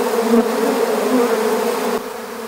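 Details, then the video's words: Honeybee swarm buzzing during capture into an empty hive: a loud, even, humming drone that drops a little in volume near the end. "How to Capture a Honeybee Swarm"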